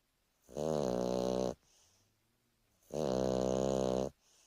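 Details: Two drawn-out, raspy snores from Turbo, a Boston Terrier on a lazy afternoon nap, each lasting over a second, with a soft low exhale audible in the pause between them.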